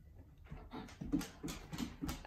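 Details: Belgian Malinois rolling vigorously in grass; rhythmic rough panting breaths about three per second, with a person talking just before and after.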